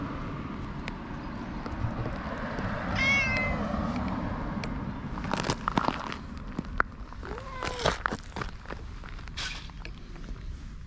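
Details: Orange tabby stray cat that rubs up against a passer-by on the way home after a night shift; two short meows, a high one near three seconds and a lower bent one near eight seconds, among rustling, footsteps and outdoor background noise.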